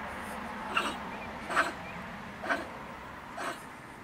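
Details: Bad-tempered female stone marten at night by a woodpile near a shed in Germany. Four rough, hoarse chattering bursts less than a second apart, over a steady low background hiss.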